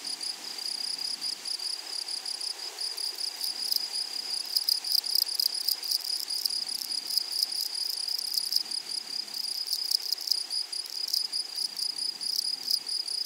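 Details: Grasshoppers in a flowery meadow or prairie: a steady high-pitched shrill buzz pulsing rapidly and continuously, with a fainter higher band above it and a dense chorus of ticking pulses throughout.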